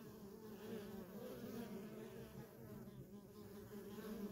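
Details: Short stretch of the nonstop hum of worker honey bees at a feral colony, a dense, even buzz with warbling overtone bands and light hiss above.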